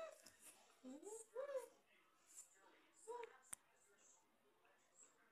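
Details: Samoyed dog being gentle with his puppy toy indoors, giving soft whimpers: a few quiet, thin, rising-and-falling whines in short bursts, with a sharp click near the middle.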